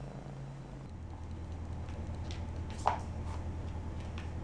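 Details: Persian kittens Nomad and Mariah out and about, with a low, steady rumbling purr running through the whole stretch and a single brief click near the end.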